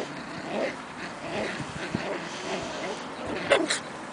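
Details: Seven-and-a-half-week-old Shetland Sheepdog puppies playing outdoors in spring; faint whimpery sounds early on, then a brief high yip with a quick follow-up near the end, over scuffling background noise.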